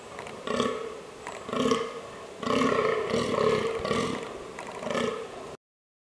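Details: A fallow deer in the White Carpathians gives deep, harsh, belching groans, repeated roughly once a second.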